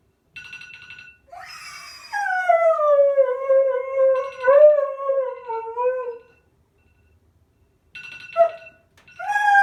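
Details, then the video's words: Male Siberian husky, three and a half years old, indoors, howling back at a beeping phone alarm: one long wavering howl sliding slowly downward over about four seconds, with electronic alarm tones before and after. "Loki Argues with the Phone Alarm"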